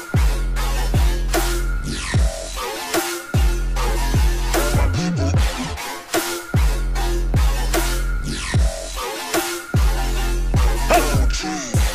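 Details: Heavy dubstep-style electronic music with deep bass drops and synth sweeps, and no animal sounds.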